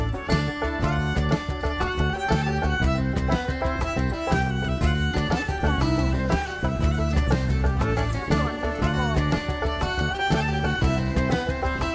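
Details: Steady instrumental music with bowed strings plays throughout, with no animal voice heard.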